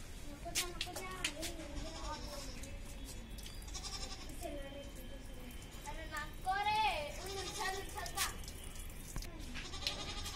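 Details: A female goat in Hyderabad gives wavering, nasal bleats while people talk nearby.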